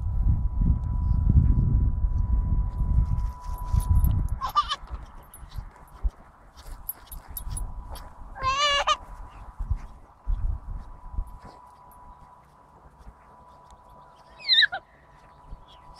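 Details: An Alaskan Malamute being groomed outdoors during a moult, on the second day, gives brief quavering whines, a longer warbling yodel-like moan and a sharp yelp, over a constant machine whine and handling rumble; Alaskan Malamute.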